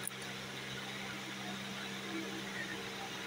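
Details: Steady broadband hiss with a low electrical hum and a brief click at the start; no animal voice stands out.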